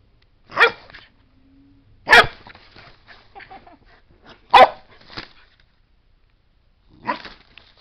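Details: Playful pet dog indoors, told to speak, gives four sharp broadband barks spaced about one and a half to two and a half seconds apart, with quieter scuffling and household noises between them.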